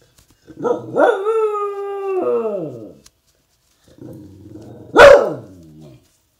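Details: A dachshund, described by its owner as aggressive at times, gives a drawn-out, howling bark, then one sharp, loud bark.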